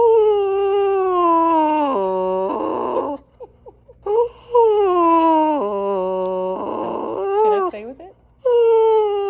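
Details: Dog making a strange noise: long whining, moan-like tones that slide downward in pitch, each drawn-out phrase ending in a rougher, raspy stretch, with three phrases separated by short quiet gaps.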